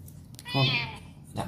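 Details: Cat (Felis catus), meow: asking for something, wanting to be let out.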